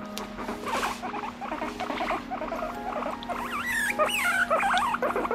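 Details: Pet guinea pig over three years old, squeaking with a complaining tone while falling asleep; short wavering squeaks in uneven bursts, some rising higher toward the end, over a steady low electrical hum.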